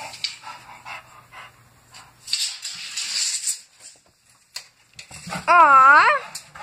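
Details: A bulldog playing with a tape measure. Scuffling, rustling and clattering come first, then a loud, drawn-out whine with wavering pitch near the end.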